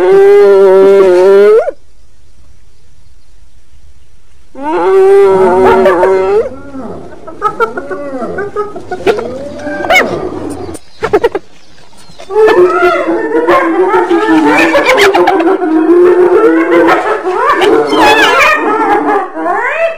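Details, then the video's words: Hyena giving long moaning calls, some arching up and down in pitch, followed by a dense stretch of overlapping wailing and chattering sounds. "Suara HYENA"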